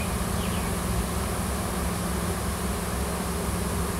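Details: Wild honey bee swarm hanging near a tree on a Washington farm, workers and a new queen searching for a new nest; a dense, even low buzz continues without a break throughout.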